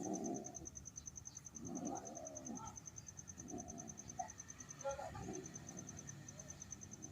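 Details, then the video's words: Cats during mating give wavering, arched yowls in short bursts, a longer bending cry near the middle, over a steady high pulsing of crickets and a low background hum. "Cat Mating"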